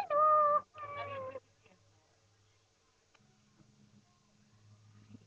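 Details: Lhasa Apso puppies indoors: two loud, drawn-out tonal whines in quick succession, each held steady and slightly falling, followed by near silence with a low hum and faint household noise.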